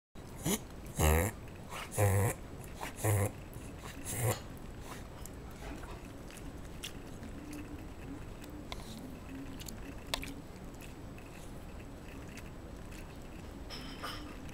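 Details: Indoors, the Shiba Inu Ichi reverse-sneezes: four loud, harsh snorting gasps about a second apart during the first four seconds, then a quiet room with only faint soft rustles.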